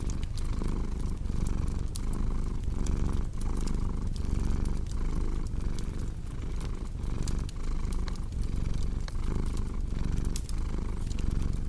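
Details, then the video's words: A cat purrs steadily beside a crackling fireplace: a dense low rumble rhythmically interrupted by breath pauses around every second, with frequent crisp pops and snaps from burning wood, intended for relaxation and insomnia relief. "Purring Cat with Cozy Crackling Fireplace Sound"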